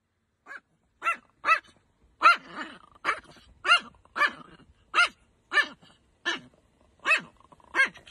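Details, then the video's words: Angry dog barking in sharp, separate barks, about eleven in eight seconds, each brief and spaced roughly every half to one second, with faint growling between. "Angry Dog Compilation"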